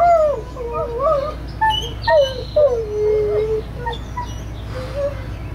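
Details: Two Great Pyrenees dogs howl in wavering, sliding, wolf-like tones, answering a train horn a few blocks away.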